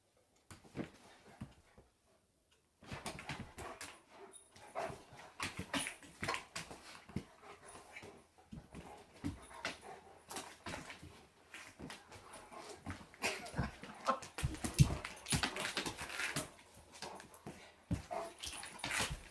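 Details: German Shepherd dog, described as giant, in its owner's home during a so-called vicious attack; near-silence at first, then dense, irregular bursts of rough sounds building louder toward the end.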